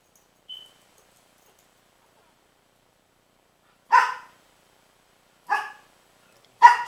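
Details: Dog named Princess barking at Rocky, a baby pitbull, on 12-08-09: after a faint short tone, three separate harsh barks arrive roughly one to two seconds apart in an otherwise quiet room.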